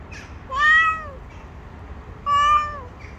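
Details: ['Stray tabby cat with her gang on the street, gathering around and demanding food: two clear, drawn-out meows, each about half a second long, with a steady harmonic tone and a slight fall at the end, separated by a quiet pause.']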